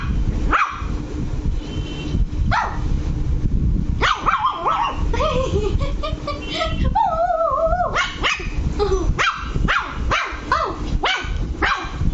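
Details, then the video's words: Angry Lhasa Apso puppy named Luci barking at home: sharp high-pitched barks at irregular intervals, some drawn into whiny yelps with tonal overtones around six to eight seconds, over a constant low background rumble. "Lhasa Apso puppy angry"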